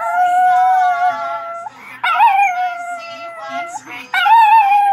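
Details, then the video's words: Chihuahua singing with a Chiweenie companion. A long sustained howl drops away, followed by a sharp rising wail and another held note near the end. Quiet background voices. "Singing Chihuahua"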